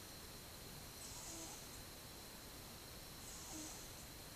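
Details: Cat aged twelve months sleeping, 8 October 2015; two breathy exhalations, each with a faint low grumbling tone beneath the hiss, about two seconds apart over quiet background hum.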